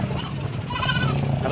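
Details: Goats being shipped by sea from Medang Island to Sumbawa Island, NTB, Indonesia. A short, wavering, nasal bleat rises over a steady low engine-like hum, with faint background noise.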